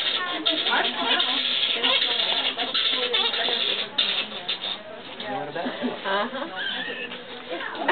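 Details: Fruit bats arguing at the Lubee Bat Festival in Gainesville, Florida; harsh, irregular chattering squeaks and scratchy bursts overlap continuously, with denser flurries early and late.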